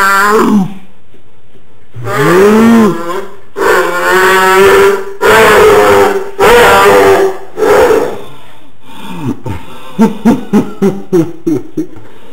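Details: A pet dog's frequent funny non-barking call: low arching groans and drawn-out moans in several phrases, ending in a string of short, clipped, evenly spaced grunting pulses.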